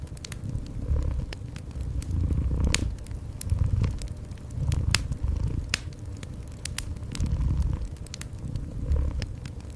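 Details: Gentle cat purring indoors beside a cozy fireplace: a low, steady rumbling purr that swells and fades in slow cycles about every one and a half seconds, overlaid by sharp crackles and pops of burning wood.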